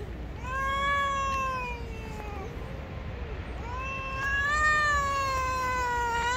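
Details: Gray street cat, angry at being touched, gives two long drawn-out yowls, the first wavering and sliding down, the second rising then holding steady; a low rumble of background noise underneath.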